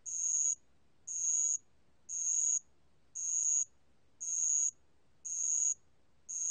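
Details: Repeated high ringing trills of a bell cricket, recorded in 2020 by the National Institute of Biological Resources; each half-second burst comes about once a second in an even rhythm, with quiet gaps between.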